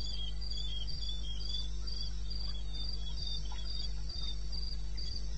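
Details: Eastern Botswana wilderness at night, 02:30 on 21 May 16: a cricket repeats bright, high chirps at a quick regular rate, accompanied by a continuous low mechanical-sounding hum and occasional soft clicks.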